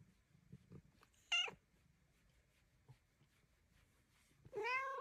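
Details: Luna, a cat being encouraged to flop down for belly rubs, gives a short bent meow, then a louder drawn-out one after quiet rustles.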